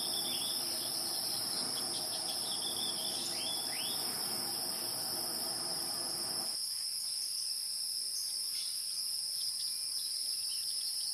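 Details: Wild insects: a steady, shrill, continuous high-pitched trilling in two bright layers, unbroken for the whole stretch, with a few faint short chirps midway and a low rumbling background that cuts off abruptly about two-thirds through.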